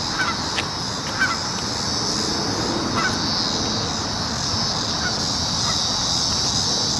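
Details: Cicadas droning in a steady, high-pitched continuous buzz that fills the background, with a few faint short chirps from other creatures scattered through the first seconds.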